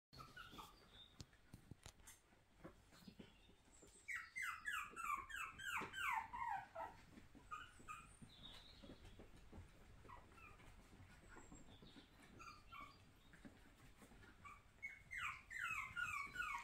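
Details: Puppies in an indoor puppy room, born and reared in a home: bursts of rapid, high, squeaky falling yelps and whines, several per second, with quieter scattered whimpers and soft rustling between bursts.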